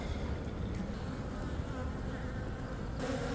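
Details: Western honey bees of a healthy, well-established colony inside a meter box, preparing for winter, heard while the hive is removed for relocation; a dense, steady low drone of buzzing runs unbroken throughout, with faint handling noise.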